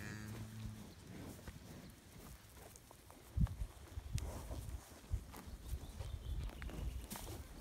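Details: Scottish Highland cattle bulls, a breed kept outdoors year-round on a farm in Finland, on 25 June 2018; a short, low, harmonic moo fills the first second, followed by scattered thuds, knocks and rustling.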